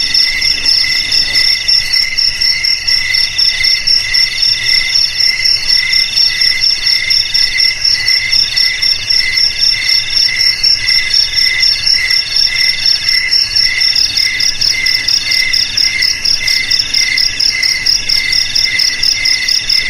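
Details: Continuous cricket chorus, used as a sound to keep rats out of homes and rice fields. Shrill pulsed trills ring in stacked high bands, beating about twice a second throughout with a faint low hum beneath.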